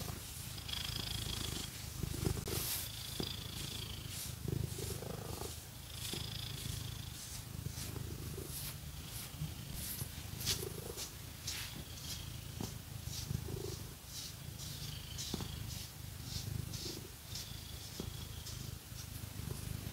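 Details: Domestic cat purring steadily while being scratched with fake nails, a continuous low rumbling throb with rising breathy inhale phases every two seconds or so, overlaid by crisp scratching strokes of nails.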